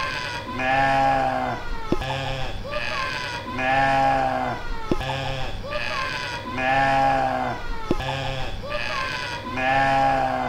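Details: Mouflon calling with long, quavering, nasal bleats at a regular three-second interval, each call followed by a sharp click before the next bleat begins.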